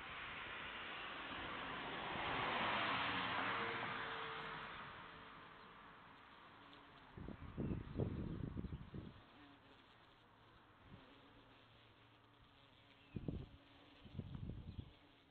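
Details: Bee buzzing: a low droning hum swells and shifts in pitch as it passes close, then settles into a steadier faint hum broken by a few sharp knocks and rustles.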